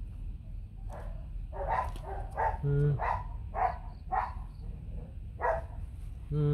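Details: Bac Ha dog, a white, fluffy native Vietnamese breed kept on a farm with puppies; a series of short, sharp barks repeats roughly twice a second over a low background rumble.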